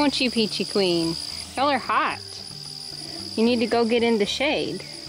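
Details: Baby goats being weaned scream in a series of loud, wavering, nasal bleats, each lasting under a second, with pauses between bursts, over a steady high insect drone.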